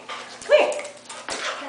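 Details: A female Australian Shepherd howls while her owner sings Justin Bieber's "Baby", which she seems to like: a brief, wavering howl that steadies on one tone, with people talking around it.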